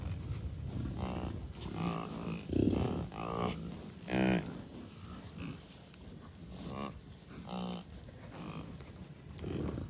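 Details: Wild American bison herd of many cows, a few bulls and dozens of calves at Rocky Mountain Arsenal Wildlife Refuge, Commerce City, Colorado, on June 2, 2022. Several overlapping nasal, harmonic bleats and moans come from many animals, with steady wind noise underneath.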